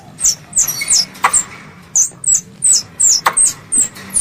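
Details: Squirrel call to its mother: short, piercing squeaks slurring downward, closely spaced at nearly three per second, with a couple of sharp clicks.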